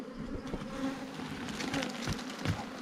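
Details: Ground bees swarming during wild honey hunting, taken fresh with no fire or smoke: a continuous low buzzing drone, overlaid with scraping and tapping from the digging and a few sharp handling thumps.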